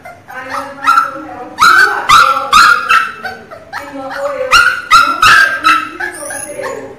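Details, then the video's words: Miniature Pinscher puppies crying loudly: high whining whimpers and yips in overlapping bursts, some cries sliding downward, coming in clusters roughly every half second with short pauses between. "filhote de cachorro chorando alto é de da dooo!! choro de cachorro pinscher"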